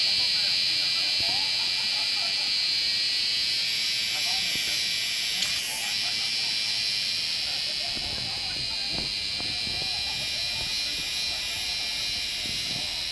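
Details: Korean cicada singing: a dense, continuous high-pitched buzzing drone, pulsing rapidly at about four beats per second, with faint background murmurs underneath.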